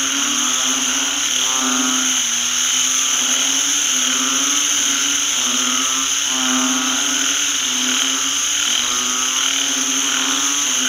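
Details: A field full of banded bullfrogs croaking after rainfall. Many animals overlap in low, nasal, moaning notes of about a second each, rising and falling in waves beneath a steady shrill whine.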